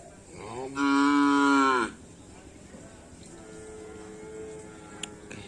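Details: Cattle of the Karapan Sapi bull-racing team Dracula Sakti, training at Asemanis field: one loud, steady, harmonic moo lasting about a second, then a fainter lower drawn-out lowing, over outdoor background murmur.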